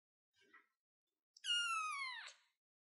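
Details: A single long, drawn-out meow from a kitten perched on a chair. The cry holds a steady high pitch, then drops sharply at the end, after a faint brief squeak.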